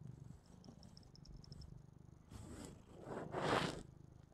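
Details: Purrsha the cat purrs softly as she watches herself replayed on the TV; a faint low continuous rumble, overtaken near the end by louder rustling, hissy noise.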